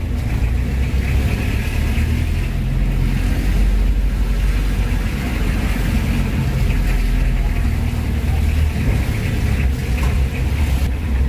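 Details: Steady truck engine rumble and revving dominate throughout while two large cattle are unloaded, with no animal sound heard.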